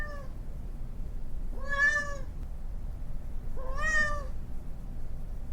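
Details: Domestic cat meowing, played to attract cats: two clear, drawn-out harmonic meows about two seconds apart, each rising then falling slightly, over a steady low background hum.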